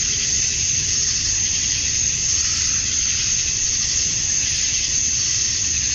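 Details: Male cicadas chirping to attract females at summer dusk in Georgia, USA: a dense, unbroken high-pitched shrill hiss from many insects, steady and even throughout, with a faint low rumble beneath.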